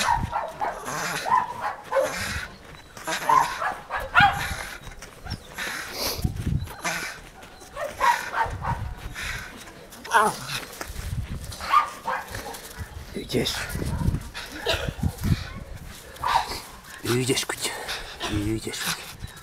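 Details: A Jagdterrier called Taka keeps up a long run of sharp yelps and barks at irregular intervals, mixed with rustling, thumping and some human voices in the background.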